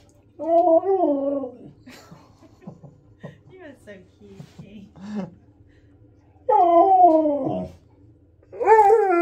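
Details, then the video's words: Pet husky pestering for more treats gives short wavering whines and yowls separated by quieter mutters and rustling, with a human voice among the calls in a small room. "Husky Bullies Me For More Treats!"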